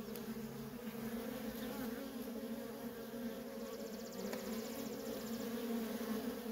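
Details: Worker honey bees in nonstop traffic at a feral colony: a steady, dense droning hum with layered low and mid tones. The hum is even throughout, with a brief, faint high rapid ticking partway through.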